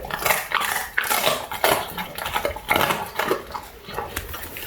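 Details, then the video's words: Labrador Retriever puppy Ato crunching on duck wings: loud, crisp broadband crackles and snaps burst every half second or so, with brief pauses between bites. "오리 날개 먹는 강아지ASMR(Puppy eating duck wings)"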